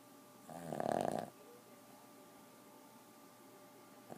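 A Boston terrier lets out a single harsh, fluttering snore, a throaty rattle lasting less than a second. Afterward only faint background hum and soft breathing remain.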